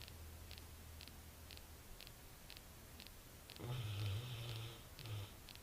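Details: Snoring of Duke the dog: a quiet low rumble, then a louder, rough, deep snore lasting about a second, followed by a shorter one, with rapid regular ticking heard throughout the room.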